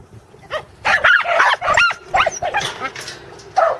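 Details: Corgis Teddy and Jack on their second herding attempt with sheep at Island Crossing Farm in Arlington, 27 March 2011; bright, yelping barks come in a rapid uneven burst, with quieter yips trailing after.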